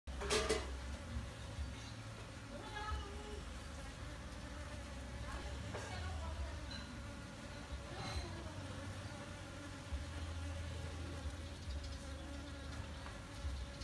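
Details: Honey bees recorded on a D610 full-frame camera: a steady, low droning hum with an even pitch, layered with faint higher overtones, plus brief clicks and handling knocks near the start and around the middle.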